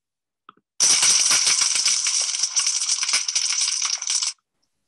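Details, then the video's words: Thousands of tiny snapping shrimp on a coral reef fill the water with a dense, constant crackle like frying fat. "that sound that you hear is actually the sound of thousands of tiny snapping shrimp snapping"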